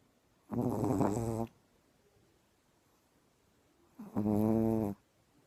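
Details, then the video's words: Female dog fast asleep after an early start, snoring loudly like a man: two rasping, harmonic snores about a second long, spaced roughly three seconds apart, quiet indoors between breaths. "Пёс храпит"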